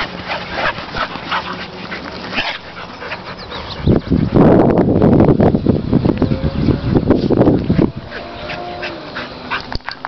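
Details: Three dogs play together: an 8-year-old male Staffordshire, an 8-month-old male bull terrier and a 2-year-old female bull terrier. Scattered yips and whimpers build into a loud, rough scuffle of growls in the middle, then settle again.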